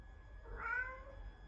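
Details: Pet cat replying to its owner in a quiet room: a single soft, short meow with a gentle rise and fall in pitch, centred in the clip.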